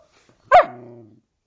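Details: Female Samoyed puppy answering a spoken 'hello' with a single short yowl that starts sharp and bright, then trails off into a lower, steady hum for about half a second.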